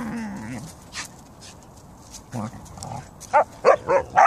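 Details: Siberian Huskies and a Samoyed kept as pets, on a fine-weather day: soft low vocal sounds and a person's voice first, then four sharp, loud barks in rapid succession at the end.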